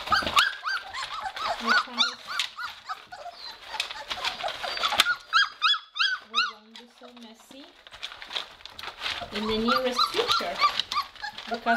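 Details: Several Weimaraner puppies in a kennel during their first days of litter-box potty training give bursts of thin, rising-falling whimpers and squeaks. There is a loud cluster of whimpers midway, with a person talking over the pauses and near the end.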